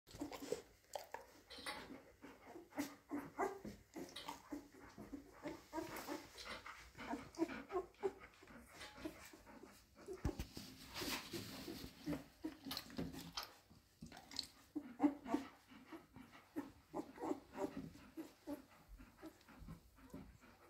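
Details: Golden Retriever puppies, nine days old, making a steady stream of soft squeaks and thin whimpers, several overlapping every second with irregular rhythm, punctuated by faint rustling and shuffling movements.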